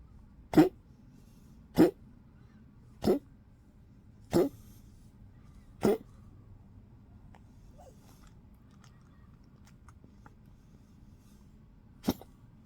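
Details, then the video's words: A fifteen-year-old Poodle, weak and sleepy in cold 12-degree weather on 30 March 2025, gives five short dry coughs spaced about 1.3 seconds apart, then falls silent before one more brief cough near the end. "15歲Poodle睡公主體弱貪睡，有點咳，少食 old Poodle cough and sleep coldy"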